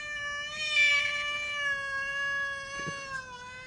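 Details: Angry cat holding one long, steady, rich-toned yowl for several seconds, strongest near the start and sinking slightly in pitch as it tails off.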